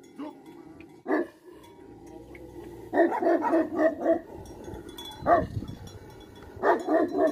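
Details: Tibetan Mastiff, the Bhote Kukur, a livestock guardian dog in Nepal, giving loud, deep barks: one single bark, a pause, then bursts of several barks close together, with faint chiming bells behind.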